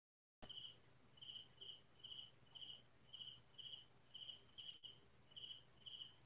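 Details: Crickets calling in rural farmland on a quiet night, around midnight: clean, high chirps about every half second, a little uneven in spacing, with a faint low background drone.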